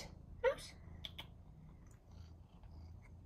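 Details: Pet cat excited over a tuna treat indoors: one short, bright meow near the start, followed by clicks and a woman's voice over low room hum.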